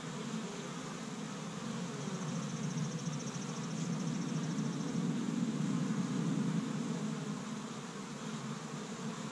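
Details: Busy honey bees at an established Michigan hive on the first warm day of spring, gathering pollen from tree buds; a rich buzzing drone that swells louder in the middle, then eases.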